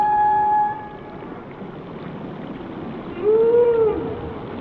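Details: Whale song: a steady high tonal moan for the first second, then a quieter stretch, then a rising-and-falling arched moan near the end over a constant underwater hiss.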